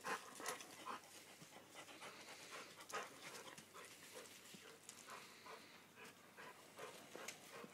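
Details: Panting from a Labrador Retriever at play with its companion on a dirt patch amid renovation work, Toby and Bella; rapid hoarse breaths come in uneven bursts, roughly two or three per second, fairly quiet throughout.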